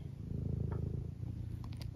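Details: Pet tabby cat indoors, purring continuously in a low, evenly pulsing rumble with fine rapid beats, faint high clicks toward the end.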